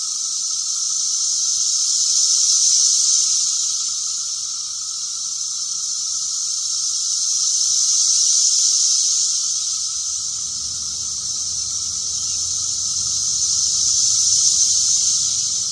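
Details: Really loud Brood X periodical cicadas in a backyard: a dense, unbroken high-pitched hissing chorus that swells and fades in slow waves about every five to six seconds, over a steady lower hum.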